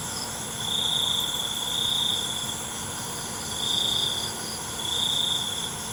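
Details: Cricket song at night: four sharp, high trilled bursts separated by brief lulls, backed by a steady ringing insect chorus and gentle low background noise.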